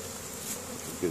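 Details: Honey bees foraging in spring at Caribou, Nova Scotia, Canada, on 10 May 2015, bringing pollen home to the hive; a soft, steady low buzzing hum that swells briefly near the end.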